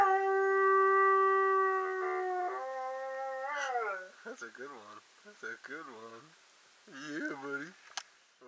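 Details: A German Shorthaired Pointer gives a long, tuneful howl, then wavering, word-like moans that sound like talking, as if saying "I love you".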